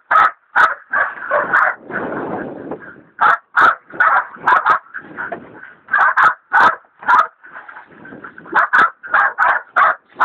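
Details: Hog dogs Dixie and Dollie, Dollie a leopard dog still in training, baying a big sow hog: loud, irregular barks with a harsh noisy rush between bursts, some barks closely doubled.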